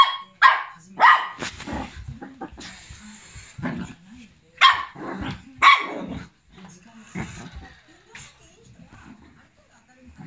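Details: Black, tan and white long coat Chihuahua, a 1-year-9-month-old male, attacking a radio-controlled car, seeing anything crawling along the ground as a foe; loud, abrupt yaps come singly or in pairs, separated by quieter stretches.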